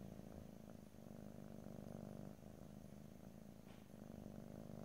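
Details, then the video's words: Pet cat giving a steady low purr, a buzzing rumble with rapid pulses, gently rising and dipping in loudness, recorded ear to ear in stereo without speech. "ASMR Cat: Purring"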